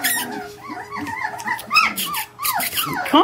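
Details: Four-week-old Samoyed puppies from a litter of eight born December 17, 2012 (five females, three males), squeaking and whimpering together in constant, overlapping high-pitched squeals and wavering whines indoors, with a woman's encouraging voice nearby.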